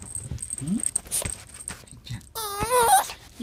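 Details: An elderly female Pomeranian of about 13–14 years, who never learned to bark, greets her returning owner with a wavering, cat-like meowing cry.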